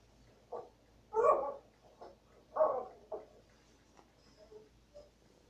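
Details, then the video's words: Dog giving a few short, hoarse barks at irregular intervals indoors, with two louder barks among fainter ones and quiet room noise between. "hearing dog bark"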